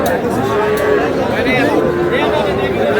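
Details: Market scene in Kushtia, Bangladesh, where a farmer buys very small bull calves on 23 June: two short bawling moos, arched and fairly high-pitched, rise over steady human talk and crowd noise.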